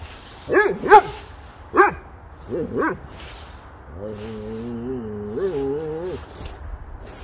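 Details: Boxer dog playing with a leaf blower and a pile of leaves, giving four sharp barks spread over the first three seconds, then a long, steady, wavering moan-like vocal sound lasting about two seconds, with a faint hum in the background.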